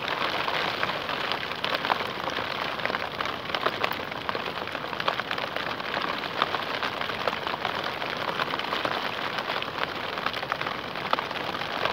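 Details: Steady heavy rain pattering on a surface, with no bird or other animal voice heard.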